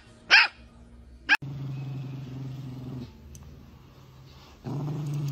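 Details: Chihuahua in a funny pet compilation, giving two sharp, piercing yaps about a second apart, followed by a low, steady droning hum with a brief pause before it swells again.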